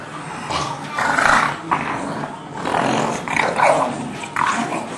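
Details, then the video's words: English Bulldog and three-month-old English Mastiff pup Forest at play, giving rough low growls and snarls in bursts about every second, with scuffles between them. "English Bulldog playing with English Mastiff pup"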